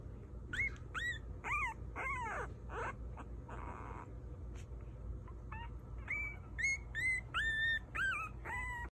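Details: Several puppies whining and yipping: high, bending squeals and short rising whimpers come in uneven bursts, with a brief breathy rustle midway before more thin, drawn-out whines.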